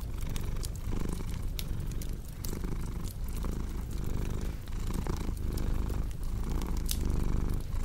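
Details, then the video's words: Domestic cat purring, mixed with a crackling fireplace for relaxation and sleep: a steady low rumble swelling and easing with each breath, roughly every 0.7 seconds, under sharp scattered pops and snaps of burning wood. "Purring Cat with Cozy Crackling Fireplace Sound"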